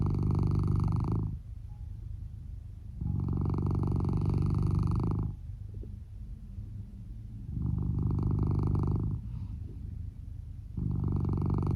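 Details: Sleeping male Norwegian Forest Cat, red tabby and white, snoring beneath a futon, amplified: loud, low, rattling snores of about two seconds each alternate with softer breaths, four loud snores in steady rhythm.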